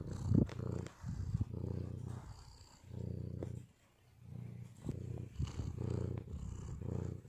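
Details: Purring of a male white cat: deep, steady rumbles rising and falling with each breath, bursts lasting one to two seconds separated by brief lulls, a soft tick here and there.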